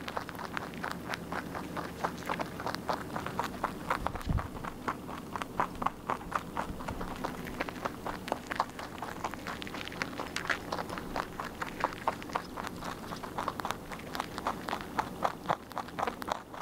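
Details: A pet rabbit munching its food nonstop, giving dense rapid crunching, roughly four bites per second, steady and slightly irregular throughout, over a quiet low room hum.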